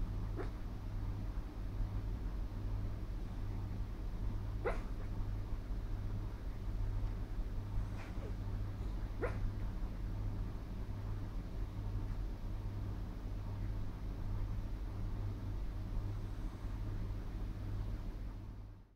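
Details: A sleeping female Miniature Schnauzer, dreaming, gives four faint, short, muffled barks spread over the first ten seconds, followed by only a steady background hum.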